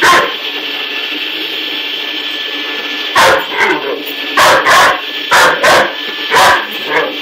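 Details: Young Great Dane at home barks at a vacuum powerhead being pushed around. After three seconds of steady vacuum drone, a burst of sharp barks, some doubled, repeats roughly every half second to second.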